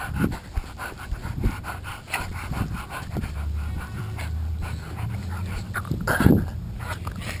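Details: An adult female Boston Terrier gives low, rough, playful grunts and snorty growls in short bursts during a game of tug of war with her toy.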